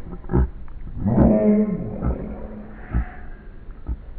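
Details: Havanese dog playing on a lawn with another dog, recording played in slow motion: a deep, drawn-out roaring growl lasting about a second, with low thumping bursts before and after.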